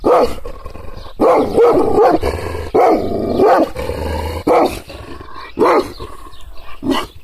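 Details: Angry Kangal shepherd dog, provoked by hand and arm gestures without being touched, giving deep, harsh barks about once a second, with low rumbling growls between several of them.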